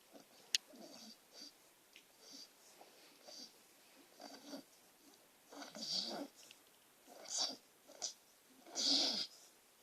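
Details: Sleeping female beagle mix that talks, twitches and snores: breathy, hissing wheezes rise and fall in irregular bursts, growing louder toward the end of the stretch.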